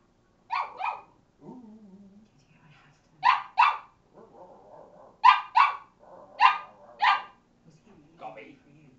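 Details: Molly, a Cavalier King Charles Spaniel kept as a pet, back-chatting her owner indoors with repeated sharp double barks, roughly five bursts of two, interspersed with low grumbling vocal sounds and brief quiet gaps.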